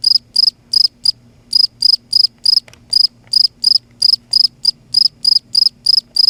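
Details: A cricket calling at night in Kerala: loud, pure, high-pitched chirps in regular bursts about every third of a second, with short pauses between groups of pulses, over a faint low hum.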